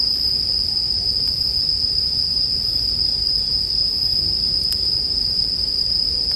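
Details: Continuous high-pitched ringing of bell crickets, even in loudness and without pauses, layered over the gentle crackle of a bonfire; a couple of sharp wood pops stand out near the start and end.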